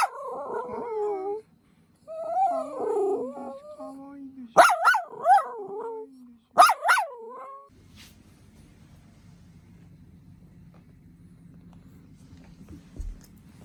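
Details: Miniature Dachshund on a walk, scared on meeting workers: high wavering whines and yelps, two sharp cries near the middle, then quiet background hum.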